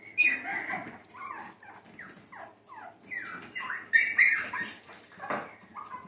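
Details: Two female Shih Tzu Bichon mix (Zuchon) puppies, about nine and ten weeks old, at a Minnesota breeder during playtime lessons; rapid high yips and falling whiny squeals tumble over one another, several per second, with a soft voice beneath.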